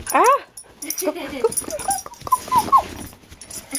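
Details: A hyper, excited puppy getting worked up over its toy indoors gives short arched high-pitched yelps, then a run of brief whimpering cries, while a person talks to it.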